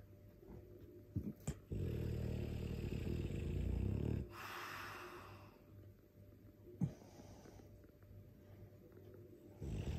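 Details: Loud snoring from a sleeping Dogue de Bordeaux, a mastiff: one long, deep, buzzing inhalation rumble lasts about two and a half seconds, followed by softer breaths, a brief snort near seven seconds, and another rumble beginning at the end.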